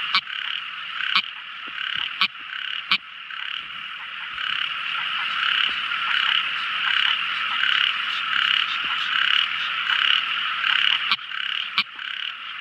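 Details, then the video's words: A tiny frog singing at night: a few sharp clicks at the start and end framing a long stretch of steady, buzzing, high-pitched chorus that rises slightly in strength midway. "Amazing Sweet Sound Tiny Frog Crying | Never Listening So Beautiful Frog Song! At Night Time!"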